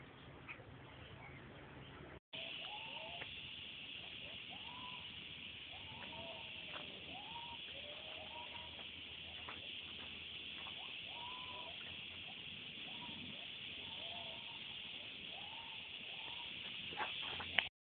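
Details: Gibbons in Thailand sing rising, swooping hoots over a loud, steady drone of forest insects.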